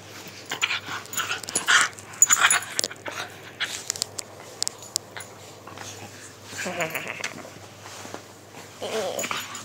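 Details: Male Miniature Schnauzer indoors in the morning throwing a fit as his owner makes the bed and folds his blanket: soft, wavering whines and grumbles, with scattered clicks and rustling.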